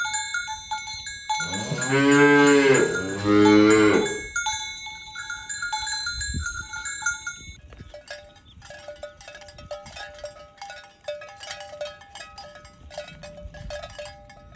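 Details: Tame cattle herded along village roads toward the pen in the morning: two long, loud, deep moos in quick succession, then a steady jangle of clanking bells from the moving herd.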